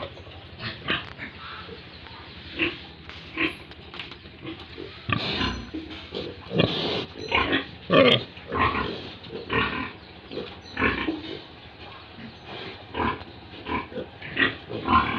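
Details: Pigs and piglets on a farm in Tripura, India, grunt almost continuously, with short rough snorts and grunts about every half second and louder squeal-like bursts midway, against low background farm noise.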